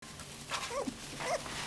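A Hungarian Vizsla puppy gives short, thin whimpering yelps with a slight rise and fall.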